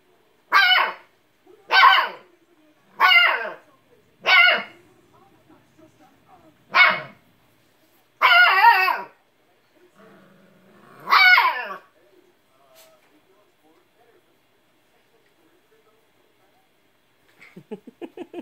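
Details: Siberian Husky puppy barking at an old cat that will not play, seven loud yelping barks about one second apart over the first twelve seconds, then quiet with a brief soft sound near the end.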